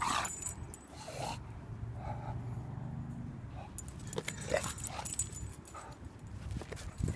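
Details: Dino the bulldog battles a pink balloon he treats as his nemesis; a low, drawn-out rumbling growl sounds in the middle, surrounded by scuffling, thumps and rustling from the play.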